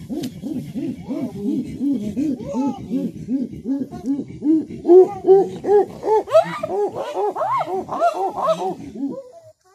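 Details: Chimpanzees at Olpejeta calling in a rhythmic series of breathy hoots, about two or three each second, that start low and steady, then climb higher and grow louder toward a shrill, excited peak before breaking off.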